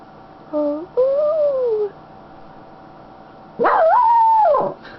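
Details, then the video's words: Happy female Schnauzer on her owner's lap: two short smooth whines, first steady then gently rising and falling, followed by a louder warbling howl-like call that jumps up and wavers before dropping; quiet room otherwise. "Sounds of a happy Schnauzer"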